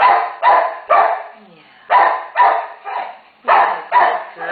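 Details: Terrier mother guarding one-day-old puppies gives loud, harsh barks in pairs and short runs, with brief gaps between volleys; a faint whimpering tone shows between the barks.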